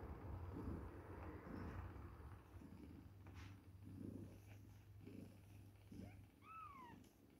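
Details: Two-week-old baby kittens at milk time, with a steady low rumbling purr in pulses through most of the clip, then a short, clear mew that slides downward near the end.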